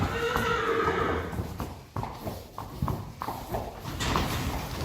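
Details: Friesian horses, mares with four-week-old fillies, turned out to the field on 4 November 2019; a clear tonal whinny opens, followed by a run of sharp hoof clops and general outdoor noise.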